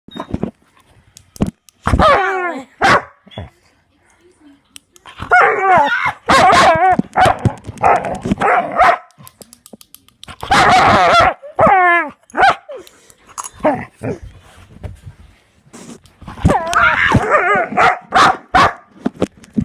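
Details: Dog reacting excitedly to click noises, giving bursts of high, whiny, rising-and-falling yelping barks in clusters, separated by short pauses and sharp repeated clicks throughout.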